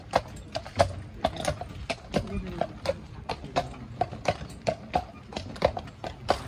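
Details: Dyfed Shire horse hauling a ride-on cart, its hooves striking in a steady clip-clop of sharp knocks about every half second, with soft voices and a faint low rumble underneath.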